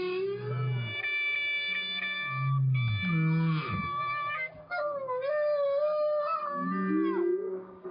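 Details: A whale recorded by hydrophone while a clarinet plays to it underwater; deep, steady whale notes held for about a second alternate with long clarinet tones and bending phrases, the whale trying a steadier, clarinet-like note.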